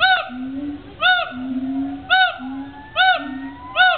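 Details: Gibbons at the Cincinnati Zoo: sharp, rising-and-falling hooting notes repeated roughly once a second, alternating with lower drawn-out hoots, over a faint rising whistle.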